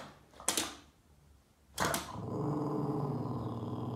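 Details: Indoors, Yoda the Boston Terrier, chasing wall shadows and upset, starts a steady, sustained low growl after two sharp knocks, rumbling continuously to the end.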